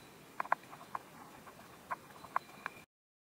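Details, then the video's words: Praying mantis eating a wasp, close-up recording of its feeding: a few sharp, dry clicks and crunches spaced irregularly over about three seconds against a quiet, hissy background, then silence. "“Chewing sound” of a praying mantis eating a wasp"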